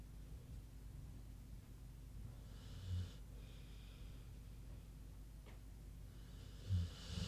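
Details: A big pig sleeping and snoring softly, with slow, hissing breaths near three seconds and again near seven. A steady low hum fills the quiet room between the breaths.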